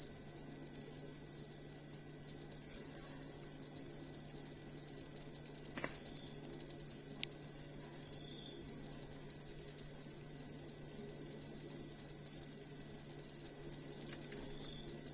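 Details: Cricket sound for tutoring songbirds: uneven, broken chirps in the first few seconds, then a loud continuous high pulsed trill with regular rapid beats to the end.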